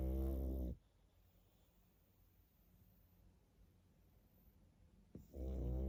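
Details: Sleeping pug snoring: a loud, low, buzzy snore fades out at the start, then near-silence for several seconds before another deep rattling snore begins at the end.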